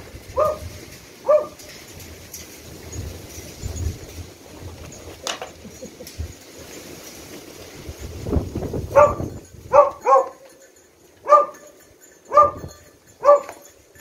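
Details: Beagle in rescue dog training, searching for victims, three in ten minutes, two of them out of reach: two sharp barks early, a quieter stretch with low rumbling background, then a run of six loud barks near the end.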